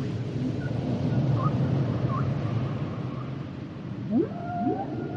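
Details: Humpback whale song, here mostly a dense low rumbling wash with faint short whistled slides, then two sharp upward-sweeping calls near the end against steady underwater noise.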